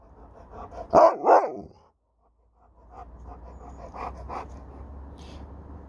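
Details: Alaskan Malamute Sherpa talking back to his owner with two loud, quick rising-falling woo syllables, followed by quieter grumbling murmurs and breathy panting over a low background hum.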